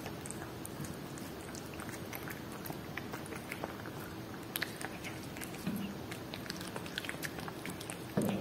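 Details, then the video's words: Domestic cat eating Whiskas salmon, steady close chewing and crisp biting clicks throughout, with a faint low hum indoors and a brief short vocal sound near the end. "Cat Eating Whiskas Salmon ASMR"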